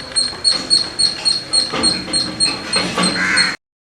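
A squirrel gives rapid, sharp chirps, about three or four each second, in a steady run.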